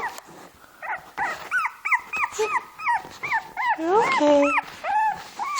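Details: Shih Tzu, a six-month-old dog trying to play with a two-month-old Shih Tzu puppy; short arched yelping yips come in quick irregular bursts, a drawn-out whine near the end, with soft human speech and laughter.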